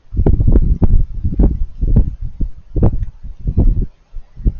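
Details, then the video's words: Crunchy feeding noises from raccoons as they eat: loud, dense bursts of chomping and crunching, each a brief snap, repeated rapidly and unevenly, with a short pause near the end. "Raccoons Eating & Being Cute - Cute Lil Crunchy Noises While It Eats"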